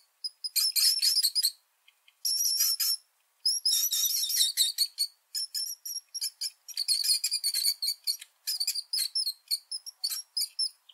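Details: Rat giving long strings of thin, high-pitched squeaks and squeals, grouped into bursts of one to two seconds separated by short pauses, becoming choppier and more stuttering later on.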